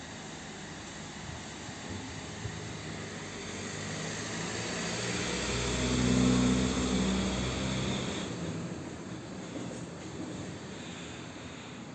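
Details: A passing train or vehicle swells to a rumbling peak midway and fades, with no animal sound present.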